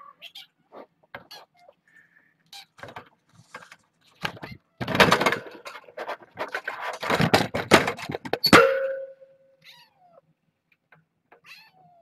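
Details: Kittens from Nala Se's litter of seven, born June 21st at Purrfect Pals after she was found as a stray, rushing the fence in early evening; loud rattling and thumping, then one short, falling kitten meow near the end.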